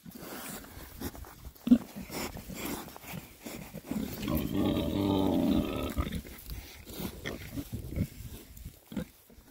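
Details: Rare breed Oxford Sandy and Black pigs, a group of six males foraging happily in winter between storms; brief grunts, then a longer drawn-out low grunting sound lasting about two seconds, followed by more scattered short grunts and rustling.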